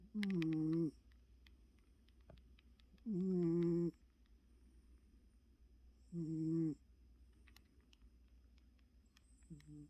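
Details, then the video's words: Choco, a very tired pet cat, snores while asleep: three tonal, droning snores less than a second each, spaced about three seconds apart, steady and quiet between breaths. "고양이 코골이"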